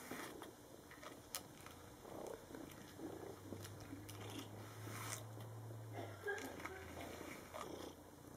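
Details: Domestic cat purring quietly while grooming itself indoors, a low steady hum for about three seconds midway, with soft licking and rustling clicks scattered throughout.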